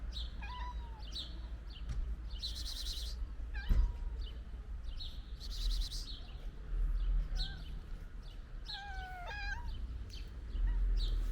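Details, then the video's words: Stray cats, including a ginger one, eating pate food; scattered short mews and a wavering, trilled call near the end, between loud wet chewing and lapping bursts, over a low steady hum. "Ginger Cat And Its Friends Makes Cute Sounds While Eating Pate Food"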